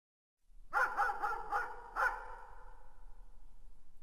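A distant dog gives a quick run of five echoing barks, then falls silent.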